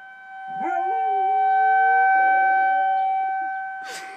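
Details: Riley, a dog, howls at a tornado siren; a long, wavering howl rises and then holds steady before fading, set against the siren's loud, constant tones.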